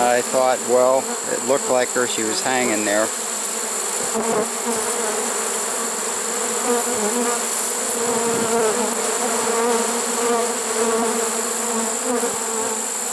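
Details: Late-season swarm of honey bees in a swarm trap, September 2019, giving a continuous low droning hum; a man speaks briefly at the start, then the buzzing carries on alone.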